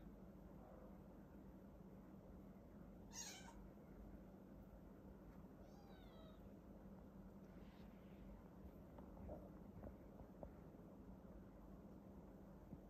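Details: Maine Coon mom tending her kittens while a Border Collie helps; a short, high, wavering mew with stacked bright overtones partway through, faint squeaks afterwards, a sharp knock before it, and constant low background hum.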